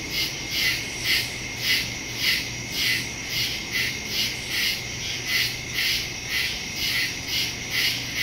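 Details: Crickets in the woods at night, recorded September 2, 2023, on a Samsung Galaxy S22 Ultra phone with a Shure MV88+ stereo microphone; high, shimmering pulsed chirps repeating about twice per second, layered over a steady high insect hiss.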